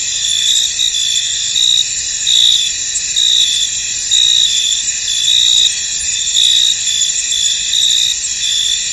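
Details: Field crickets calling in mist, a thick unbroken high-pitched chorus punctuated by louder short trilled pulses about once per second, fairly irregular in rhythm.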